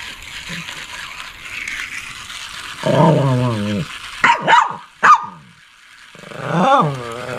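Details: Shih Tzu barking: after a quiet, hissy start, a low rumbling growl-bark, a few quick sharp barks, then one more drawn-out bark near the end.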